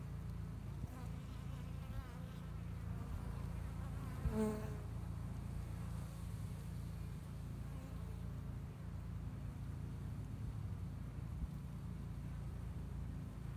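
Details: Honey bees working to build up a two-year-old spring hive in Hickory Creek, Texas, viewed through a glass top; a steady low droning hum fills the hive throughout, with one brief higher tone partway through.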